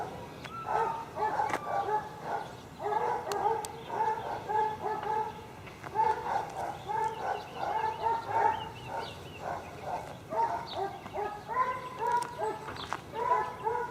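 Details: Tied-up dogs kept near a dump bark almost without pause, several voices overlapping in rapid, harsh, repeated yaps and barks, with low background rumble throughout.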